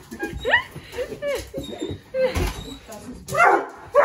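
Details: An excited male Basset Hound puppy greets his owner returning home after weeks away, giving high, rising whines while a person talks quietly nearby.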